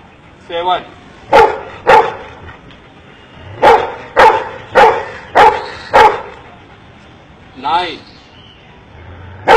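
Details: Dog trained by its owner in India to count, barking in sharp single barks with short pauses between groups, mixed with a man's voice speaking.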